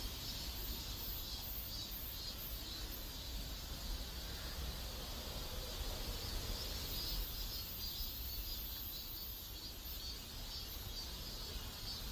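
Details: High, shimmering cicada chorus from a neighborhood in South Korea, pulsing roughly twice a second in a continuous wash, with a constant low-pitched ambient rumble underneath.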